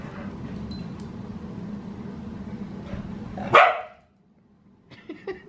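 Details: Australian Cattle Dog puppy Sully at an indoor bedtime play session with other dogs: a single loud sharp bark after a stretch of low hum, followed by faint scuffling.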